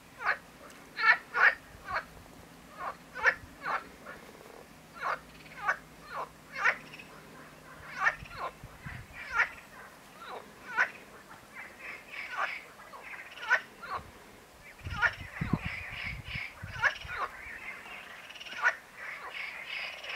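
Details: Marsh frog (Pelophylax ridibundus) calling in a rapid series of short, sharp pulsed croaks, several per second, continuing over twenty seconds and becoming denser and overlapping toward the end, with a brief low rumble midway.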